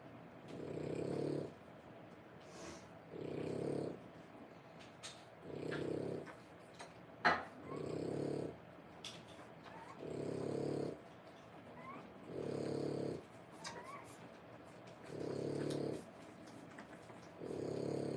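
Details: Mother French Bulldog nursing her 3-week-old puppies born 1/10/25, indoors: low, rumbling snore-like breaths in eight steady bouts, each about a second long and roughly every two and a half seconds, with faint small clicks and rustles between.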